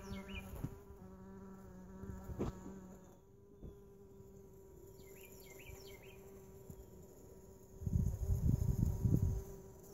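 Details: Mason bees inside a lawn mower bagger: a steady low buzzing hum that runs for the first three seconds and then stops, with short chirps of a small bird and a low rumble near the end.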